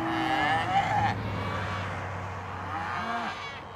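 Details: Cattle lowing amid steady background rumble: a drawn-out tonal moo that bends downward in the first second, then a short, lower moo that rises and falls near the end, over continuous traffic-like noise.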